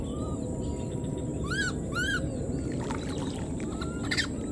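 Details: Abandoned wild newborn monkey crying out for its mother, two tonal arched calls about half a second apart, each swooping up and down with stacked overtones, then faint noisy bursts over constant low-pitched outdoor noise.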